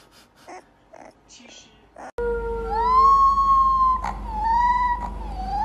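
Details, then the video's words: Puppy howling for the first time: a human voice speaks briefly, then a sustained high howl glides upward and holds. It wavers slightly and repeats over a steady low background hum. "Cute Puppies Howl For The First Time"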